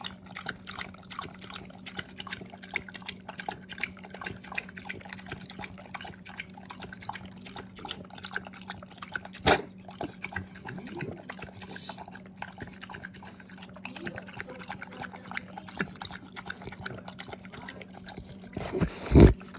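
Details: French bulldog lapping up water, a rapid, even train of splashy licks continuing without pause, a steady background hum underneath, and a loud knock near the end.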